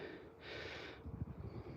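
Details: A Border Terrier, play-fighting with another dog within a pack of seven on a walk around Edinburgh, gives a short, breathy snort, a friendly play sound rather than aggression.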